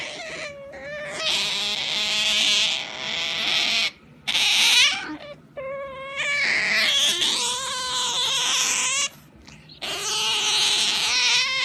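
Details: Pet otter squealing while being pampered: repeated bursts of loud, shrill, harmonic whining, each a second or more long, separated by short gaps, pitch wavering up and down.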